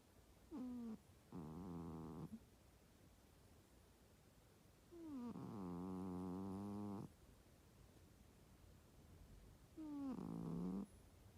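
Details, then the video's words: Pet cat asleep under the covers of a bed beside a napping person, snoring loudly: three rasping, droning breaths, each one to two seconds long and spaced several seconds apart, in a quiet room. "猫の本気のいびきSerious snoring of cats"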